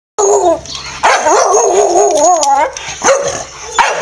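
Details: A Staffordshire Bull Terrier gives wavering, yodel-like 'talking' whines and barks, overly excited as its owner has just got home from work in the evening and walkies are near.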